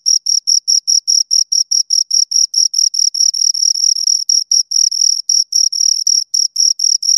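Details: High, shrill cricket chirps from two insects, evenly spaced pulses early on, then merging into a longer trill with brief breaks toward the end; nothing else audible.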